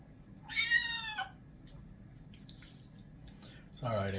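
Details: Ares, a white and orange male kitten, meows once during a bath indoors: a single harmonic mew lasting under a second, slightly rising then falling, over dripping water, with a person's voice starting near the end.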